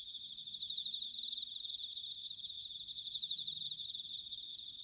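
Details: Autumn bell crickets at Sanuki, Chiba, Japan: high, rapidly pulsed ringing phrases, two louder bursts standing out from a steady shimmering chorus, with faint low background noise.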